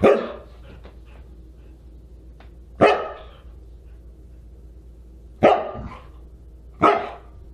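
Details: Husky barking at a dinner party held December 27, 2022: four strong, abrupt barks at irregular intervals over a quiet indoor background.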